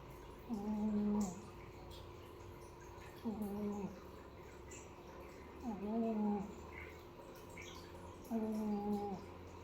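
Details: Snoring kitten named Piko, a village cat, gives four steady, humming, whistle-like snores, one every two to three seconds, each lasting under a second, in a quiet small room.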